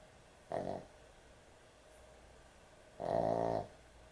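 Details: Heavy-snoring dog asleep at bedtime: a brief rasping snore, then a longer, louder buzzing snore about two and a half seconds later, separated by near silence.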